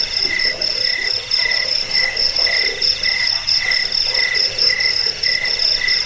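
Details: Crickets used to repel rats, as a sleep aid and as bird training material: shrill pulsed chirps in two high bands, repeated in steady bursts about every half second, with a faint hiss underneath.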